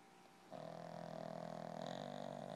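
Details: Snoring from a sleeping dog in a household with Peanut the Pug and three French Bulldogs: a steady, harsh, buzzing snore begins after a brief pause and carries on to the end.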